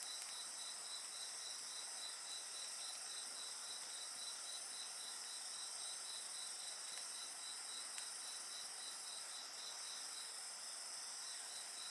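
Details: Steady chorus of insects, high buzzing tones plus an evenly pulsed trill about four beats per second, heard over the quiet crackle of a bonfire with a few louder pops.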